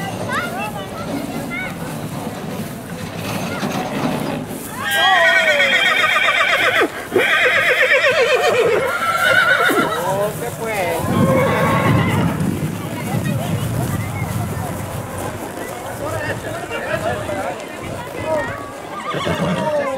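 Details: Horses at the 2020 village fiesta in Mirandilla: a loud, quavering whinny from about five to nine seconds into the clip, amid people talking and steady hoof clip-clop.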